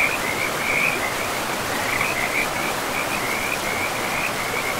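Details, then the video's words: Frogs calling beside a river in a forest, a steady trilling band of high croaks running through the whole stretch over the constant broadband rush of flowing water. "River and Frogs sleep sounds"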